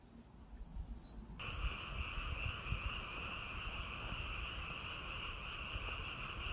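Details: Frogs in Korean countryside among rice paddies and reservoirs: after a quiet opening second, a dense chorus sets in abruptly as a steady, unbroken trilling drone with two bright pitch bands, over low rumbling background noise.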